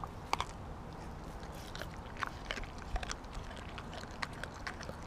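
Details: Siberian Husky Kobi tearing into a whole raw mackerel, given all at once rather than in small chunks; crisp, irregular bites and wet crunching clicks every fraction of a second over a soft background hum.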